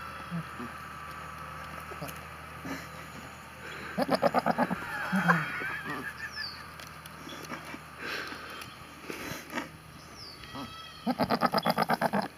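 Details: Bubble the goat gives trembling, pulsed bleats in two bursts, one around four to five seconds in and another near the end, each a quick series of wavering notes, between quieter background sounds and possible voices.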